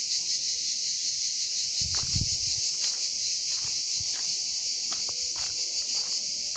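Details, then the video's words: In summer in Drôme and Ardèche, France, male cicadas sing their daytime mating call to attract females, filling the hot air with a loud, steady, high-pitched buzzing drone. "Cigales en Drôme et Ardèche"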